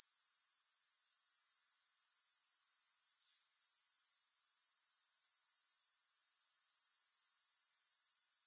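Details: Unbroken grasshopper stridulation with no music: a shrill, hissing, tightly pulsed drone, steady in loudness and rhythm from start to finish.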